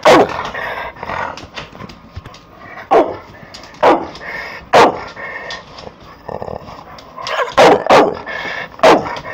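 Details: Pit Bull snarling at the camera: rough, harmonic growling bursts rising and falling, broken by sharp barks or snaps roughly every second, loudest near the end.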